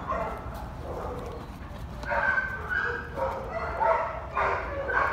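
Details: A male foster Bloodhound gives drawn-out, tonal whining yelps in uneven bursts.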